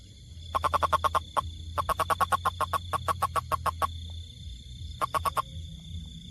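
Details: Toad, tagged rainfrog, repeating fast trains of short croaking pulses, three runs of roughly six to twelve notes each with brief pauses between, over a low rumbling background and a faint constant high tone.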